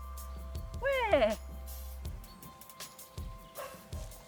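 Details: A female puppy on a bicycle-desensitisation outing gives a sharp, tonal bark that bends in pitch, setting off other neighbourhood dogs; a fainter bark follows later over background music.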